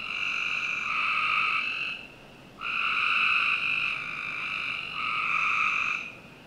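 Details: Backyard frogs in Northern Virginia on a summer night give three long, buzzy, harmonic calls, each about two seconds, with a short pause between them.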